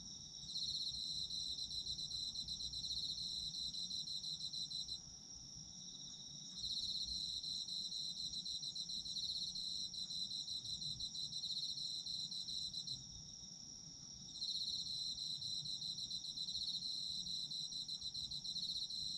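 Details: Japanese autumn insects singing for a sleep recording: a continuous high ringing trill beneath a louder pulsed chirping voice that sings in long bursts of about six seconds separated by short pauses.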